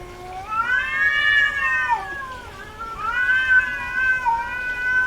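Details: Female domestic cat in heat giving two long, plaintive yowls. Each swells upward and then droops, rich and harmonic, with a short pause between them.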